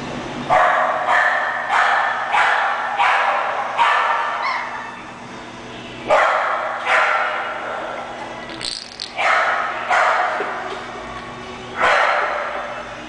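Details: English Bulldog offered as a puppy for sale, barking: sharp, loud barks repeated roughly every half second in runs, with short pauses between runs.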